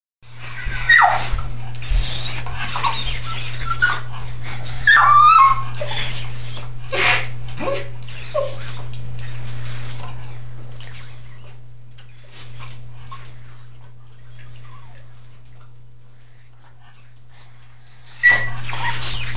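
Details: Dog in a bathtub giving brief high whines, some sliding downward in pitch, scattered among bursts of splashing and rustling, over a steady low hum throughout, with quieter stretches midway.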